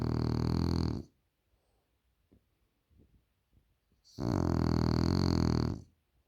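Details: French Bulldog snoring loudly indoors: a rough, rattling low breath lasting about a second, a quiet pause of three seconds, then another long harsh snore of nearly two seconds.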